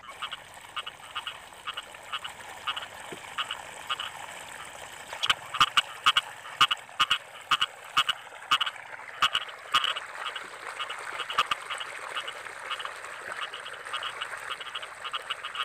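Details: Frogs calling in rice fields during the rainy season: a dense chorus of short, nasal croaks repeated rapidly and unevenly, with sharper, louder croaks standing out in the middle section over a steady background hum.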